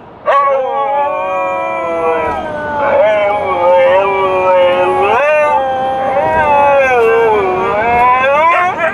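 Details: Dogs howling along inside a car on a drive, a continuous wavering chorus of rich harmonic howls that dip and rise in pitch for nearly nine seconds, with faint vehicle hum underneath.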